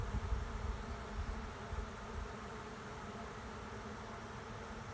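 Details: Honey bee swarm moving into an empty hive at the end of a driveway: a dense, steady low buzzing hum from many bees, louder in the first seconds, with no other clear sounds.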